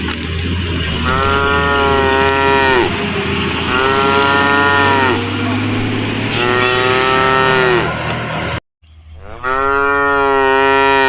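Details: Tame cows herded along a forest track, mooing repeatedly: four sustained, slightly falling moos over a steady low rumble and background noise, with a brief drop to silence before the last call.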